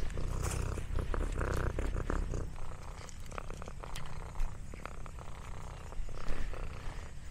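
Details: Domestic cat purring while eating snacks: a deep, pulsing rumble under bursts of crunching and smacking sounds, louder near the start and end.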